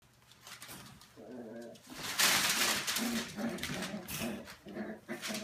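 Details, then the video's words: Australian Terrier puppies, eleven weeks old, playing together in their kennel; short harmonic growls and yips come in quick uneven bursts, with scuffling and a sharp bright noise in the middle. "Tidewalker Australian Terrier 11 week old puppies"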